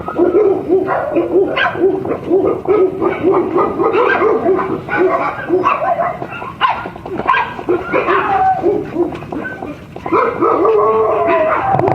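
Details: Shiba Inu puppies, a brother and sister expected to grow to Mame Shiba size, yapping in quick bursts of short, high, squeaky barks, overlapping and nearly continuous, with brief pauses and scattered clattering in the background.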